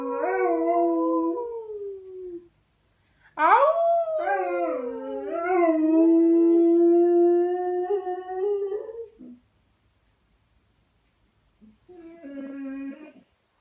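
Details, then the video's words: Pinto, a pet dog, howling at its owner in a back-and-forth exchange: long sustained tonal howls sliding up and down, a sharp rising yelp-like onset near 3 seconds, then a quieter wavering howl after a pause. "Pinto howling"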